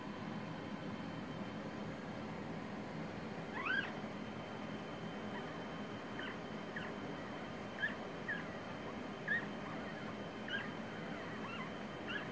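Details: Havanese puppies from Jazzie's litter, born October 21st 2019, giving thin high squeaks and whines: one rising yelp early on, then short scattered squeals about every second over a steady low mechanical hum.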